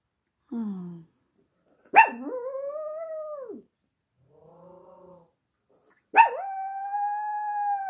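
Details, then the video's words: House dog howling in response to an ambulance that just passed: a short low whine, then a yelping start rising into a wavering howl, a soft murmuring whimper, and another long steady howl. "Everybody's Second Favorite Dog, Singing the Song of His People"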